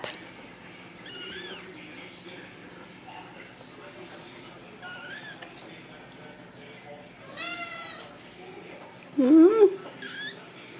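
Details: Ragdoll kittens from a home cattery in central Kansas, raised without cages. Several thin, high meows with wavering, bending pitch come at intervals, and one louder, lower cry near the end. A person talks softly over the background.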